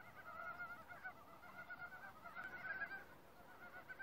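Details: Several frogs calling together in woodland, a chorus that built up one voice at a time. Short, buzzy pulsed notes layer over one another, swelling briefly toward the end.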